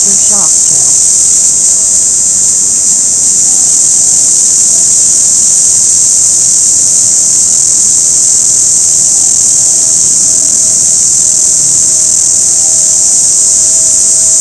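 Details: Orange cicada calling in season, a continuous loud high-pitched shrill buzz held without a break, with a faint steady lower tone beneath it.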